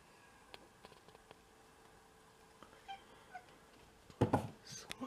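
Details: Pet cat from a home of six mixed-breed cats, on a day of first snow in February 2023; quiet ticks and soft chirps give way to a loud, harmonic meow burst near the end, followed by shorter cries.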